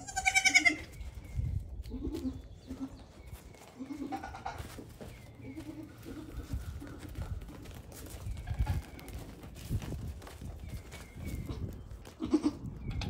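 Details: Baby goats, one day to one week old, on a farm where fifteen kids have been born; a loud, high, wavering bleat opens, then softer bleats and thin chirps follow over a rustling background.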